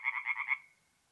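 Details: A single tree frog from a forest pond in North-East Italy on an April night gives a short burst of four or five quick, bright rasping pulses that fade out within a second.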